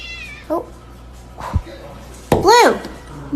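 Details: A cat gives a short, loud meow that arches up and falls away, after faint squeaky sounds, with people talking and laughing nearby.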